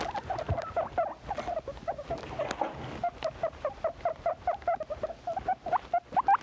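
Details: Pet guinea pig giving a quick series of short, mid-pitched squeaks, evenly repeated several times a second, over light rustling.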